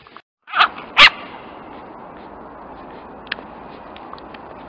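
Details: Lakeland Terrier puppies: two sharp, high yips in quick succession near the start, followed by a few faint, thin squeaks over a quiet background.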